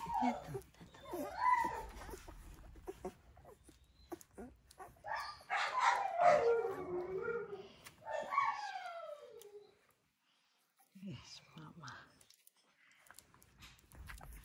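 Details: Alaskan Malamute puppies just over a week old, nursing from their mother Sojou; high, thin whines and squeals sliding downward in pitch, crowded together midway, then a brief silence and a few fainter whimpers, with soft rustling throughout.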